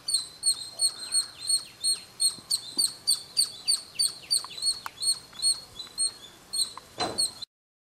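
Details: At noon on a roof corner in Kolar Gold Fields near Bangalore, a small squirrel keeps up a steady run of piercing high chirps, roughly three per second, with a brief click near the end before silence.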